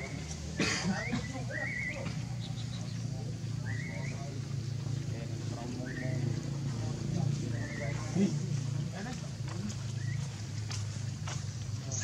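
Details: Baby monkey Leo, hungry and crying to beg milk from its mother: a series of high, tonal whimpers that rise then fall, about seven over twelve seconds, over a low steady hum and soft rustling.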